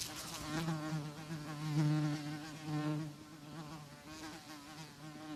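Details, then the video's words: Buzzing of a housefly: a droning hum rising and falling in loudness in uneven surges, with a faintly shifting pitch and buzzy overtones. "Housefly Sound Effect ~ Fly Buzzing Sound Effect in High Quality"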